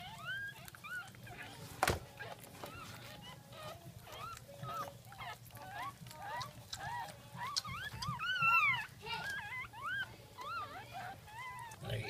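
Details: Jack Russell Terrier giving birth to a second litter of puppies, recorded 17 October 2014 at 5:35 am; many high, thin squeaks and whines, rising and falling, overlap continuously with a low background hum and one sharp knock.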